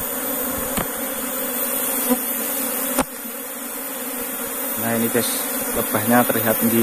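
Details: Newly relocated Asian honey bee (Apis cerana) colony returning into the hive makes a dense, continuous buzzing hum; a man begins speaking over the drone in the final two seconds.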